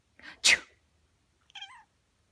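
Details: Black cat answering a sneeze while giving herself a bath: a loud sneeze burst, then after about a second a short, slightly falling meow with clear harmonics, in a quiet room.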